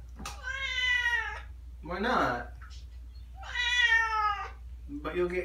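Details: Persian kittens being given baths indoors; two loud, drawn-out, slightly falling meows about three seconds apart, with a woman's coaxing voice heard between them and after.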